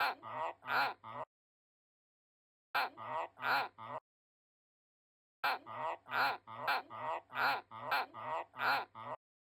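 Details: Pet White's tree frog calling in short bouts of hoarse, honking croaks, first three, then three more, then a run of seven, each bout separated by abrupt silence.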